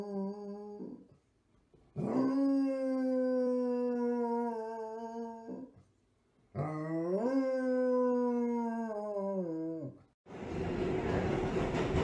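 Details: Dog howling twice in long, steady, tonal wails of about three and a half seconds each, the second starting with a brief upward swoop, separated by a short pause; a burst of broadband noise follows at the end.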